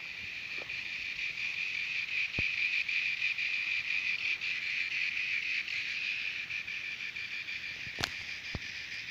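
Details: Singing cicadas at Terek-Sai, Jalal-Abad, Kyrgyzstan: a steady, dense high buzzing drone with a faint pulsing texture, holding without pause through the recording, with a few sharp clicks breaking in.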